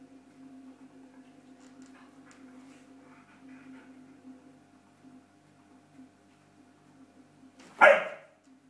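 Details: During play with a yellow cube, one of two Border Collies, Wayne or Rose, lets out a single loud, sharp bark near the end after quiet seconds of faint shuffling over a steady low hum.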